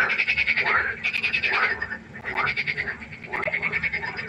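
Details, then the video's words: Frogs croaking in a night chorus by a pond, a dense pulsed racket of overlapping rasping calls with bright upper tones, swelling and dipping in waves roughly every second. "1 Stunde Froschkonzert. Frosch Geräusche quaken. Frösche Geräusche Konzert"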